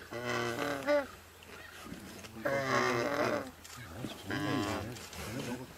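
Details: Lions feeding on a warthog, eating it whether or not it is still alive; harmonic moaning calls in three bursts, rising and falling, with a groaning low voice between them.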